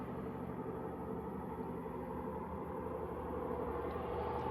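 Steady broadband rumble of passing traffic or engine noise, with no animal voices.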